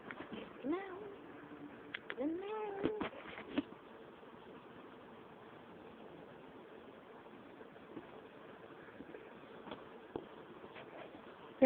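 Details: Small black male house cat that roams outdoors, indoors on a chair, gives two drawn-out meows early on, each rising then falling, then stays quiet amid faint rustling and soft talk.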